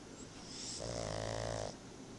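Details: A pet pug, Tobias, dozing and letting out a single steady snore: a low vibrating drone held for about a second, preceded by an airy intake of breath, in a quiet indoor setting.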